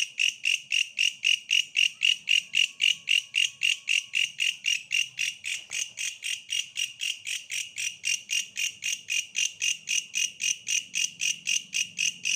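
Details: Insistent, metallic pulsing of a bush cricket, nearly four harsh buzzes per second in a regular beat, high and ringing throughout, over a quiet background with a faint low murmur.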